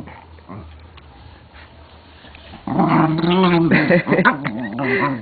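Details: Pit Bull in a play fight, quiet at first, then loud wavering growls and snarls for the last half, with a man urging it on in Spanish.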